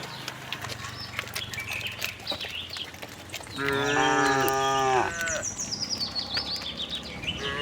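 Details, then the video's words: Cows roaming a cattle farm in search of fresh grass; one loud, buzzy moo lasting about a second and a half stands out among clicks, rustling and high-pitched bird chirps. "cute tame herd of cows - looking for grass, cow mooing sound"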